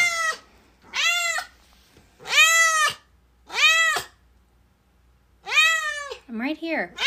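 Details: Domestic cat meowing loudly in a room: about six clear, drawn-out meows, each arching up then falling, with short silent gaps between them and a shorter, lower wavering meow near the end.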